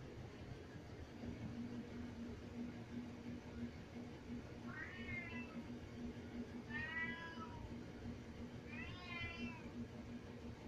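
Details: A pet cat crying to be let upstairs, yelling at its owner: three drawn-out, wavering meows spaced about two seconds apart in the second half, rising then falling, over a steady low indoor hum.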